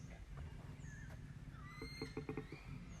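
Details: Wild koala at Belair National Park, South Australia, heard as a soft, low, throbbing rumble underneath, while birds whistle and chatter more loudly over it with a short run of clipped notes.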